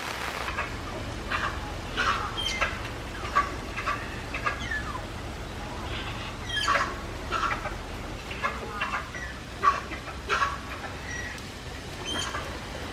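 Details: Malayan tapir Rin at Tama Zoological Park, Japan, excited during the rainy season on 16 July 2024, giving a string of high, sliding squeaky whistles and chirps at irregular intervals over a steady low background rumble.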